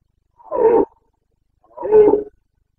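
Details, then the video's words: Red deer stag of the Carpathians in rut, Bucovina, Romania, 29.09.2022: two strong, throaty, moaning roars of about half a second each, a second apart, the second slightly longer. The background is otherwise still. "Boncănit / Carpathian stag Breeding season 29.09.2022"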